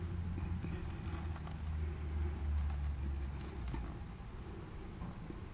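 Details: Red-tailed bumblebee (Bombus lapidarius), recorded 20 July 2018, day 18: a low, droning hum with stacked harmonic bands that swells and fades slightly over a few seconds, with faint ticks and rustles above.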